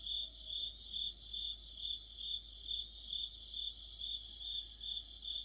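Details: Mid-autumn insect orchestra led by crickets under a streetlight: shrill, even chirps pulsing about twice per second over a quiet background, multiple singers overlapping in a dense high band.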